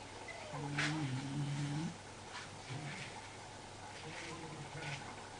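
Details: A sleeping Basenji snoring: one low, droning, slightly wavering tone held for over a second, then quieter, fainter breathing sounds with a short low rumble.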